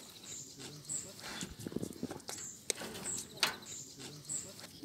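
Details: A young male roe deer in a park chews carrots noisily, with crisp, uneven crunching and snapping bunched into bites, then pauses. Thin, high chirps and faint low voices sound in the background.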